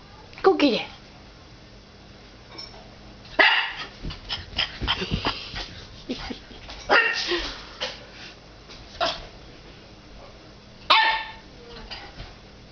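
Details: Puppy Axel, nine weeks old, challenges his reflection in fireplace glass indoors. Scattered sharp barks at intervals of several seconds, mixed with people talking and laughing in the room.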